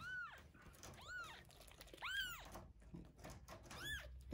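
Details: Feeding time for Terra and Towa, two rescued kittens about one week old; four clear arched mews, rising and dropping, spaced roughly a second apart over steady handling noise and soft thumps.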